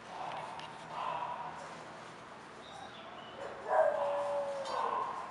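An English Bulldog gives soft, tonal whines, ending in a louder drawn-out whimper that slides downward.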